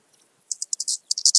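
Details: Eastern banded grasshopper in Zalahalap, Hungary, July 2022: a quick burst of dry, high-pitched rasping pulses, about eight short syllables packed into under a second, with silence around them.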